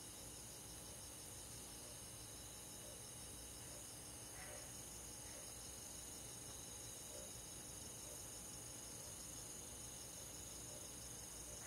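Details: Crickets and other grass insects on a summer night in a countryside forest; continuous high, fine pulsed chirring in stacked bands, steady throughout, with a dense even background hiss.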